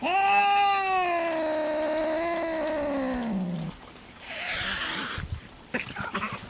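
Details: Farm cats meeting for the first time, the male Louie and a newly arrived small black female: one long, drawn-out yowl lasting about three and a half seconds, richly harmonic and slowly falling in pitch, then a breathy, noisy burst and a few soft rustles.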